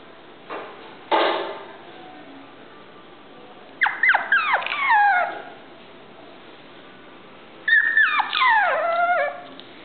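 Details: Chiweenie, a Chihuahua and Dachshund cross dog, giving two bursts of high, falling whining yelps about four seconds apart. Each burst is a quick cluster of sliding cries, and two short thumps come before them.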